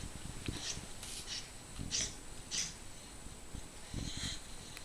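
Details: Dog snoring loudly while sleeping, apparently very tired, indoors; low rumbling snore pulses near half a second, two, three and a half and four seconds, with faint breathy hiss between them.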